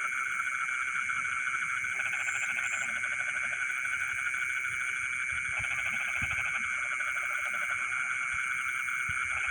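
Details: A dense chorus of frogs singing in rice fields in the middle of the night, steady trilling calls layered with bursts of lower pulsed croaking.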